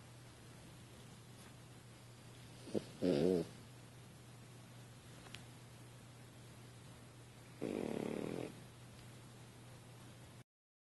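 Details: Soft snoring from a French Bulldog sleeping on a couch: a short fluttery snort, then a longer, quieter rasping snore some five seconds later, in a still room.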